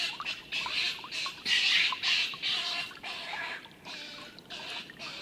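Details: Stone marten fight, older male Milton thrashing the youngster Martin, livestream of 21-04-18: hoarse, grating shrieks in uneven bursts several times a second, with a louder surge near the middle and brief clicks between.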